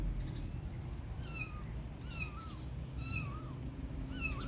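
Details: Kittens playing outside, hard to catch, give four short, high meows roughly once a second, each wavering and sliding downward in pitch, over a steady low rumbling background hum.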